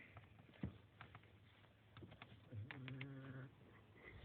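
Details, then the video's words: Dog asleep and snoring, a single nasal, low-pitched rumble lasting about a second toward the end, with a few soft clicks and movement sounds before it. "Funny dog snoring"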